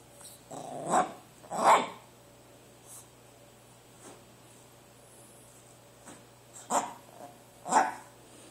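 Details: Pet dog barking at its food indoors: four short, rough, growly woofs, two close together near the start and two more near the end, with quiet room hum between.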